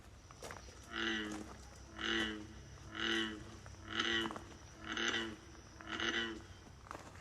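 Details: An American bullfrog, heard all summer long while pruning and doing trail work at a botanical garden, gives deep, droning moo-like calls about once a second. The sound was at first puzzling and was suspected to be ducks, ducklings or a mammal.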